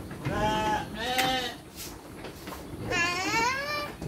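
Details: Farm sheep receiving dry feed with children; three quavering bleats follow in quick succession, the last one longest and rising, with a murmur of voices underneath.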